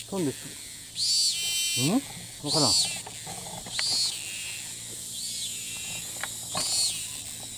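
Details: Thai cicada that flies off repeatedly but resumes calling as soon as it lands, recorded from afar: rasping high buzzes pulsing about every one and a half seconds, some fading weaker, mixed with lower swooping falling sounds between bursts.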